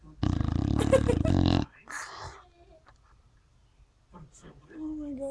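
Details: Pet dog snoring very loudly while asleep: one rough, rumbling snore lasting about a second and a half, then quiet breathy sounds and a brief human voice near the end.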